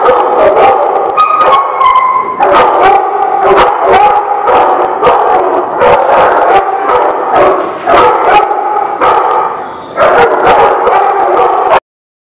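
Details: A pack of dogs at The Barking Lot, recorded 30 January 2017, barks rapidly and raggedly for about twelve seconds, single woofs layered over steady howling whines, then stops abruptly.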